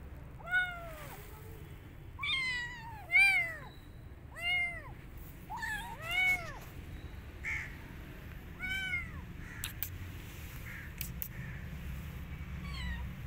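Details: Kitten rescued from the street, refusing food and wanting to return outdoors, gives a run of repeated high arched meows, roughly one every second at first, then spacing out, over steady low rumble and occasional clicks.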